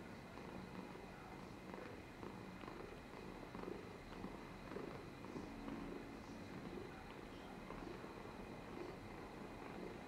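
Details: Domestic cat purring and dribbling, recorded 13 July 2022: a quiet, steady low rumble with soft throbbing pulses, beneath a faint constant background hum.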